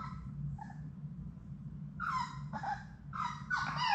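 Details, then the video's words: Playing Labrador Retriever puppies, part of Sadie's litter of six, in an indoor play room: faint early squeaks give way to four rising and falling whimpering yelps near the end. "Labrador puppies at play!"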